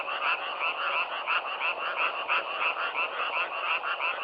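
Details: Nature recording of frogs: a continuous, busy chorus of twangy croaks, rhythmically pulsing near three times a second with slight swells in loudness, and no other sounds.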